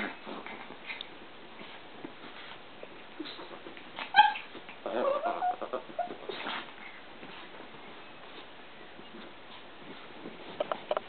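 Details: Chihuahua, one of two household Chihuahuas, gives a few short, high yips and whimpery barks midway through an otherwise quiet stretch; Chihuahua bark.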